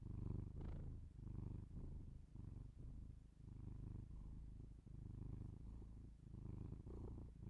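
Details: Cat purr recorded binaurally indoors for ASMR: soft, deep rumbling in regular breathing pulses, slightly quieter, each swell lasting under a second with short gaps between.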